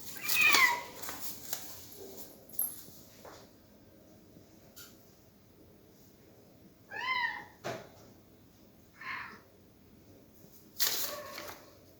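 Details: Cat with a sweet voice giving several short, high meows with rising and falling tones, separated by pauses of a few seconds, plus some soft clicks and rustles in between.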